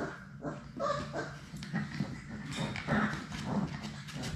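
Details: Young Labrador Retriever puppies, one litter of six, romping in an indoor play room. Soft broken whimpers and little yips are heard amid constant pattering, bumping and rustling of play.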